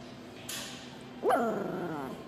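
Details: Pomeranian puppy giving a single sharp bark that slides down into a wavering, whiny tail lasting under a second, after a brief burst of rustling; a person speaking Korean is heard around it.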